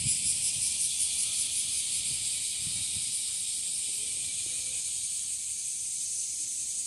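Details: A bear cicada, in season as the species grows more numerous and singing from trees and grass, gives a loud, harsh, hissing buzz that pulses quickly at first, then settles into a steady drone.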